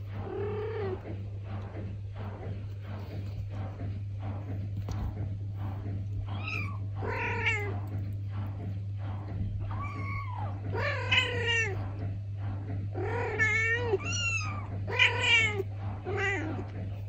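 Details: A Traditional Siamese mother cat and her kitten trade rising-and-falling meows over a low hum, indoors in the Netherlands. The kitten complains after first meeting a litter box, and the mother answers, telling her what to do.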